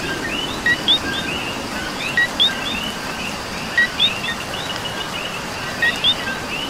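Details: Coqui frogs in Puerto Rico singing in the rain: four clear 'co-qui' pairs, each a short note followed by a bright upslurred whistle, roughly every one and a half seconds, over a constant background chorus of frogs and rainfall.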